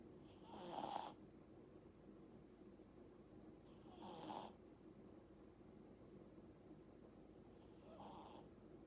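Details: Sleeping Pomeranian puppy, eight months old, snoring softly: three husky, rasping breaths spaced roughly three and a half seconds apart, the last one fainter, against a hushed indoor background.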